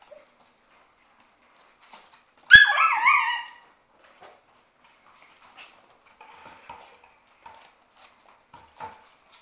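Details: Six-week-old Shetland Sheepdog puppies from one litter at play in a play room: a single loud, high-pitched bark with a rising-falling yip, then quiet whimpers and light scratches in a still room.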